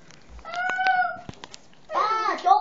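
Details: Young kittens exploring for the first time after their first taste of milk, giving a steady, even-pitched meow followed by a wavering, rising-and-falling cry, with a person speaking Spanish nearby indoors.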